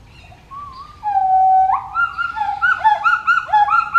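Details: Pileated gibbon calling: a long, steady whistled note that sweeps upward, then a quickening run of bubbling, rising and falling hoots repeated about every quarter second, loud and clear over quiet background.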